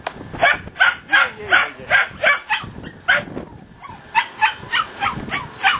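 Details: Puppies at play give rapid, high yappy barks, about ten in a row, a short pause, then another quick run of six sharp yaps, with faint whining in between.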